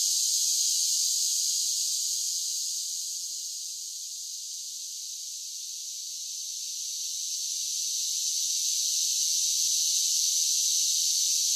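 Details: Summer chorus of singing cicadas: a continuous shrill buzz that dips softer through the middle of the stretch and then swells back to full strength.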